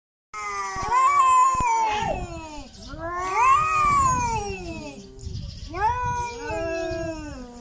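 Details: Domestic cats talking to each other: long, drawn-out, wailing meows rising and falling, three main calls about two seconds apart, with rich harmonic overtones.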